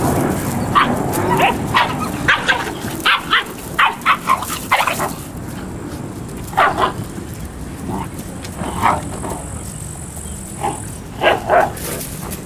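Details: Several eight-week-old Malinois puppies from one litter let out scattered short, sharp yips and squeaky barks, at times in quick clusters. Human voices and general room noise carry underneath.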